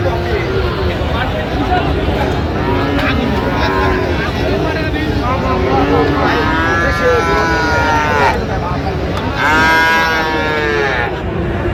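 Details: Bull calves of Friesian and cross breeds at Raniganj market, Dinajpur, on 25 January 2026. Steady crowd noise and talk run throughout, broken near the end by two separate low, harmonic moos, each lasting about a second.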